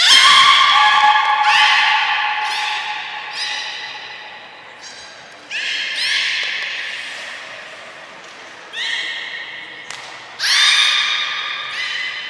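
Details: Aquarium belugas at Port of Nagoya Public Aquarium during a 2 April 2023 training session with every beluga present; a steady series of squeaky, buzzing squeals about once a second, trailing off, then three fresh loud bursts with a rising start.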